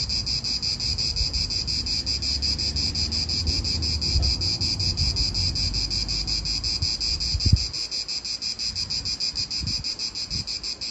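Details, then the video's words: Cicadas in an Italian park keep up a dense, high, pulsing buzz, about three throbs per second. Low wind rumbles underneath, with a brief thump near the middle. "italian park ASMR Cicadas wind real atmosphere in an Italian park birds"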